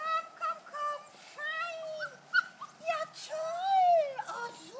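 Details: Kuvasz puppies aged 5.75 weeks on their first walk onto the big meadow after whistle training; a chorus of drawn-out whines and squeaky yelps, some sliding upward, others bending down, over a soft outdoor background.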